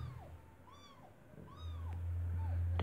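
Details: Newborn white kitten, eyes still closed, born this morning to Kartopu, a white stray mother cat sheltered inside an apartment building during cold weather; thin arched mews repeat about every 0.8 seconds over a low hum, then a louder low rumble.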